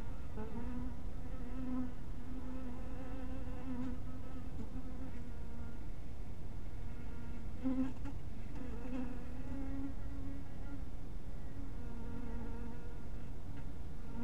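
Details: Honey bees buzzing around a small hive house at dusk, a sustained low hum rich in overtones, pitch sliding slightly as bees circle nearby, with short louder passes around two, eight and twelve seconds.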